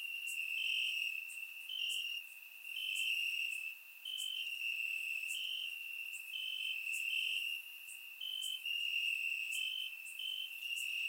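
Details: Crickets calling in grass on a warm Bulgarian summer night, captured with a surround microphone: high, ringing trill that never stops, overlaid by crisp ticks, its volume pulsing up and down every couple of seconds.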